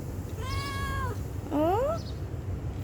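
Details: Stray cat begging for food, uttering a level meow that trails downward, then a second meow sweeping clearly upward, amid faint room noise and a person's gentle talk.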